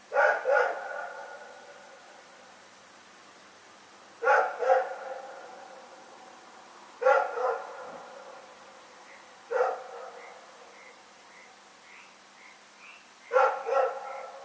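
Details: Nighttime barking by Rex the dog in Pyrga, recorded 27 February 2018. Paired barks come roughly every three seconds, five bursts in all, over a faint, regular background of repeated frog calls.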